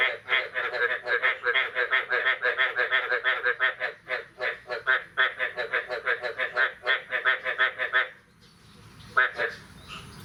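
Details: Frog chorus on the morning of 9 May 2022, following the year's first rain: steady run of buzzy, pulsed croaks about three per second for eight seconds, then a sudden lull with one last croak.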